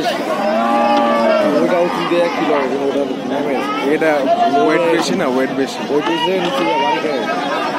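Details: Cattle unloaded from a stuck, cattle-laden trawler onto the bank; several animals give long arching moos in quick overlapping succession while people shout and talk close by.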